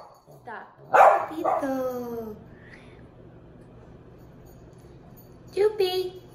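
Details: Tito, a two-month-old Miniature Pinscher puppy, meets Jupiter, a year-and-a-half-old Dachshund: a loud yelp that slides downward into a long falling whine, a quiet pause, then a shorter yip.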